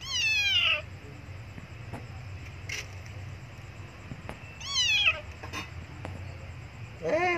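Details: Abandoned kitten crying loudly for milk near a Buddhist monastery: two high, descending meows about four seconds apart, each with a bright harmonic stack, plus a third starting at the end over low steady background hum.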